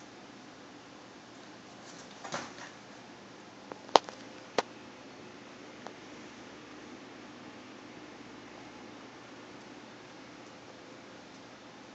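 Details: Quiet indoor room hum with a few sharp knocks and a brief rustle from play in an apartment, with no animal calls heard.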